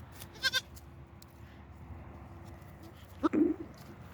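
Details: A Damascus goat kid, on its first outing to pasture, gives one brief, nasal, wavering bleat near the end as it calls for its keepers. A quick clatter sounds early over a low outdoor background.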